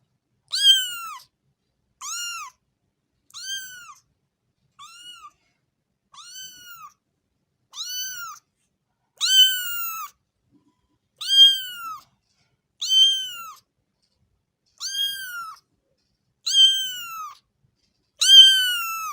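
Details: Cat meowing steadily, short rising-falling mews roughly every one and a half seconds, some soft and clipped, others louder and fuller; a quiet background otherwise.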